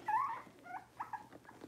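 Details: Cavalier King Charles Spaniel puppy, six weeks old, in a puppy pen during deworming and toenail trimming, gives a thin high whine that slides upward, followed by a few short broken squeaks against a low steady hum.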